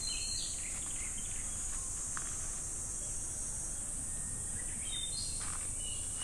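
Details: Constant high-pitched buzzing of summer cicadas at Namegawa Shrine in Sukagawa, Fukushima Prefecture, Japan, holding steady the whole time, with faint bird chirps scattered at the beginning and end.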